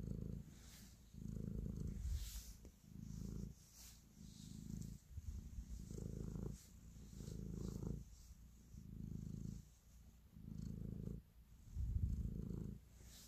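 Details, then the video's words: Domestic cat purring while kneading, showing affection; a deep, rumbling purr swelling and fading in steady breath cycles, about eight pulses over thirteen seconds, with faint soft rustling above. "Cat Purr, Kneading and Love"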